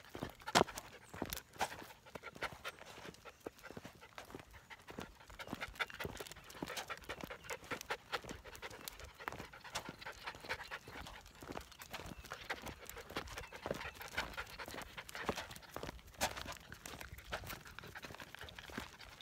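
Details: Standard Poodle puppies, 13 weeks old, walking on a hiking trail, with quick breathy panting in dense rhythmic bursts throughout, mixed with scuffing steps and rustle along the path.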